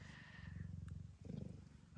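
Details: Female blue bicolour Ragdoll cat purring while in labour in the evening at an Australian breeder's home. Low, throbbing purr that breaks off briefly, then resumes.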